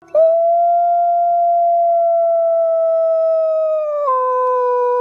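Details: Arctic wolf howling with its pack in the winter cold: one long, steady, pure howl held for about four seconds, then stepping down abruptly to a lower tone at the end.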